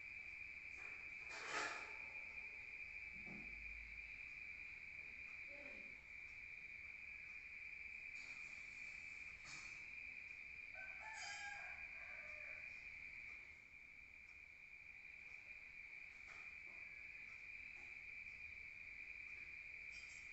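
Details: Rural crickets chirping at night, heard from outside: a constant high trill runs throughout, broken by a few brief clicks and soft knocks nearby.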